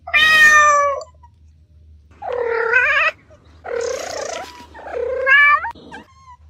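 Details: Kittens playing outdoors on grass: four loud, strained meows, each about a second long, some wavering and rough, separated by short pauses, plus a final brief chirp over a low hum.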